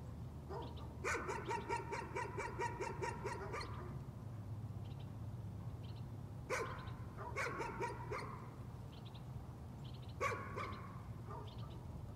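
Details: A dog's nuisance barking: an opening run of fast, evenly spaced barks, then scattered single and paired barks, over a continuous low hum.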